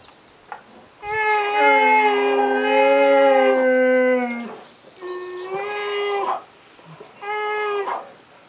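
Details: Two American black bears in a forested enclosure give long, tonal, whining bawls in summer, asking for food at feeding time; they are fed about every 1 to 1.5 hours.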